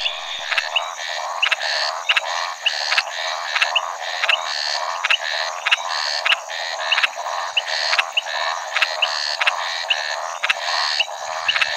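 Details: Maracas snouted treefrog calling, a steady series of short, rasping, rattle-like notes repeated about twice a second, with a constant high insect-like hiss in the background.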